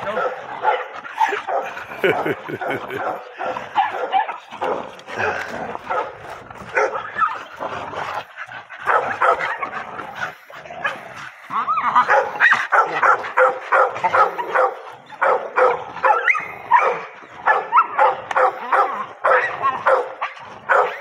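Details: Pocket American Bully being introduced to a bite sleeve, a high-drive pet in playful training, gives rapid, uneven bursts of sharp barks and yips, quieter at first and building later, with men talking and laughing between them.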